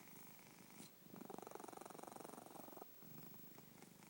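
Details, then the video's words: A cat snores while asleep, a steady, quick vibrating rumble rising loudest in a long mid-clip breath, then a brief gap before a softer breath follows. "My snoring cat"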